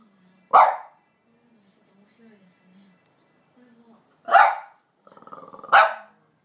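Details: Impatient for her walk, French Bulldog Amelie gives three loud barks with long gaps, quiet whining whimpers between them and a short growl before the last bark.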